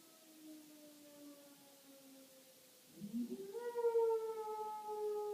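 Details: House dog reacting to a tornado siren test. Faint, long falling tones come first, then the dog's howl rises sharply and holds a steady, slightly wavering pitch through to the end.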